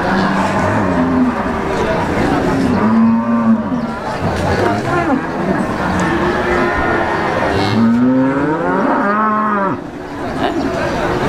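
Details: Peranakan Ongole cattle at the Wagenan market, Pati, give several drawn-out lowing moos, one early, one midway, and a louder rising-then-falling bellow near the end, amid constant voices and bustle of the livestock market.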